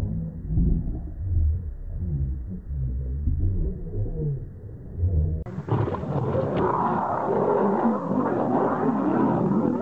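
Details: A male and a female lion fighting: deep, rumbling growls and roars pulse through the low register, then the sound abruptly turns brighter and noisier with harsh snarling and broadband scuffling commotion.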